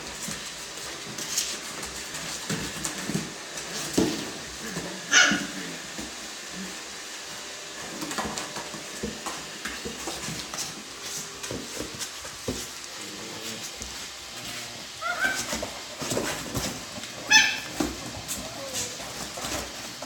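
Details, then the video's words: Alaskan Klee Kai puppies in a box, giving a few brief high-pitched squeaks, near the fifth and seventeenth seconds, over steady scratching, rustling and pawing against the box indoors. "Alaskan Klee Kai puppies in a box"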